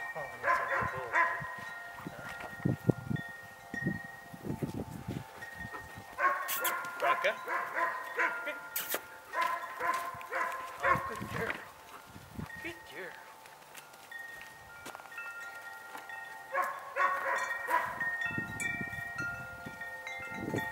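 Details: Two 3-month-old German Shepherd puppies from Von Woden Kennels, training as potential police K9s, give short, rough barks in irregular bursts, while wind chimes ring steadily throughout and a person talks now and then.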